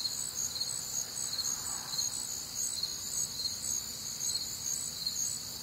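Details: Warm, humid summer night in the Midwest: many crickets chirping together in a continuous high-pitched trill-like chorus, with a faint softer sound swelling briefly near the middle.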